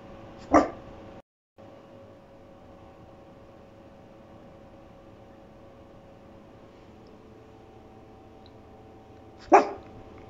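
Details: A sleepy pug barks to get attention, giving two single sharp barks about nine seconds apart.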